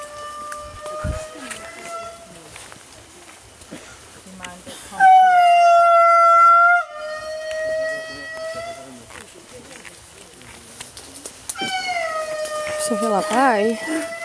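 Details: Indri lemurs calling in Andasibe-Mantadia National Park, Madagascar, in 2016: long, level, horn-like wails throughout, peaking in a very loud held note around five to seven seconds, with people talking near the end.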